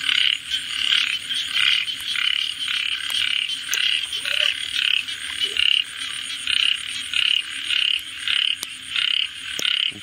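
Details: A frog repeats clear, evenly spaced pulsed croaks, about two each second, every note a grating buzz with bright overtones. Faint background hiss continues beneath, with a couple of tiny clicks.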